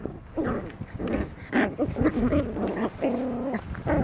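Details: Puppy sisters romping playfully in a farm field, giving short growling whines and yips, then a longer wavering whine near the end, with rustling and scuffling from their play.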